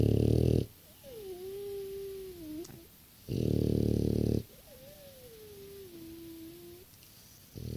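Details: A 6-year-old French Bulldog snores with loud rasping inhales, each followed by a thin, wavering nasal whistle.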